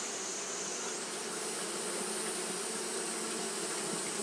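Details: Continuous humming drone from Japanese honey bees fanning their wings on a hot day; even, unbroken buzzing with a constant high whine above.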